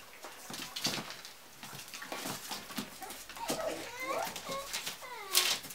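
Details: Basenji puppies playing with a box indoors give short, curving, rising-and-falling whines and yelps around the middle of the clip, over steady scratching, tapping and rustling of the box.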